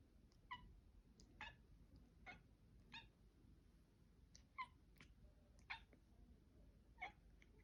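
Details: Indoor cat Mila gives a run of brief, chirpy harmonic calls about twice a second at first, then more spaced and uneven, against soft background hum.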